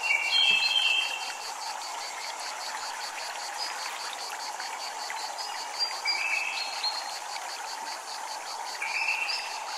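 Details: Cicadas at a Japanese temple keep up a steady, high buzzing drone with a fast pulsing beat, while chimes ring out now and then over water sounds.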